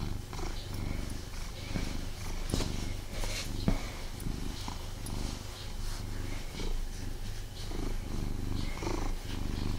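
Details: Pet cat snuggling with its owner indoors, purring continuously in a deep, even rumble, with light rustling and occasional soft contact clicks over the purr.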